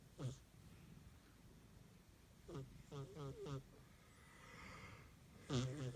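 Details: A sleeping pet cat snoring: short nasal, buzzy breaths with a wavering tonal edge, one alone, then a cluster of four quick rasping pulses, then another near the end, in a quiet room.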